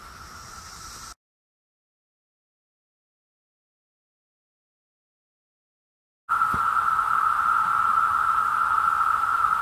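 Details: Brood X periodical cicadas during the 2021 emergence in Virginia: a steady, loud, droning buzz on one mid-high pitch. It sounds briefly, breaks off for about five seconds of silence, then returns louder and continuous.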